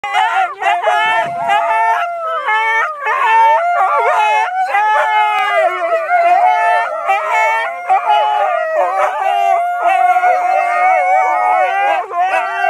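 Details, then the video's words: Pet Siberian husky howling along as its family sings on a Sunday: long wavering tones that bend up and down continuously, mixed with the people's voices. "the singing husky - Sunday family sing along"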